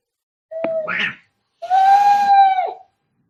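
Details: Angry cat during a fight: a brief hiss-like burst, then a drawn-out, steady, tonal yowl lasting about a second, strongly harmonic and ending with a slight downward bend.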